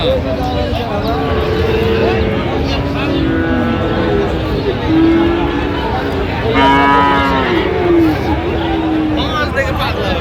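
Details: Friesian and cross-bred bull calves for sale at Raniganj cattle market, Dinajpur, on 25 January 2026; a few drawn-out low moos rise and fall through loud crowd chatter, bargaining voices and passing engine noise.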